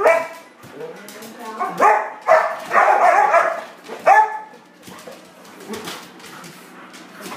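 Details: English Springer Spaniel excited before dinner, mixing a few yelping barks with drawn-out whining yowls around the middle, then quieter scattered noises and clatter.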